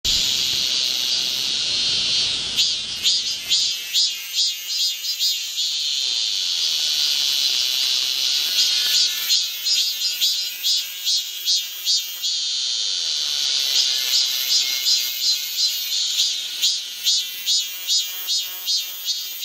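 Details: In midsummer on Galsan hill in Gocheok-dong, Seoul, cicadas buzz loudly in a dense, high chorus, with rapid pulsing bursts repeating over the steady drone.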